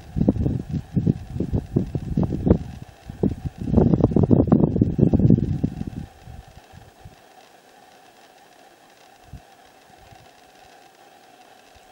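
Low rumbling gusts of wind or handling noise for six seconds, then a steady mechanical hum with no animal voice.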